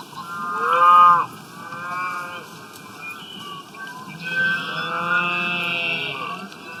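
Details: Grazing cows out in the wild, eating grass, give a loud moo in the first second, then a drawn-out lowing with a wavering tone that trails off slowly.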